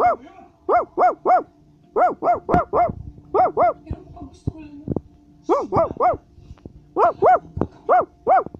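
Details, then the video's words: A Basset Hound keeps barking steadily in clusters of three or four sharp, tonal barks, with brief pauses and faint clicks and knocks between groups. "Basset Hound is Barking"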